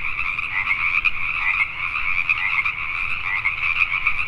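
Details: Chorusing Pacific tree frogs in the night near Richmond, British Columbia, Canada, giving a constant throng of overlapping, grating croaks with brief louder peaks.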